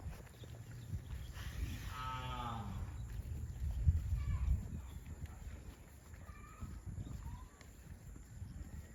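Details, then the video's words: Cattle heading to a rural field give a loud, long harmonic moo that sweeps downward, then fainter short calls follow, all over a low rumbling background. "COWS MOOING - Funny mooing cattle video heading to a rural field"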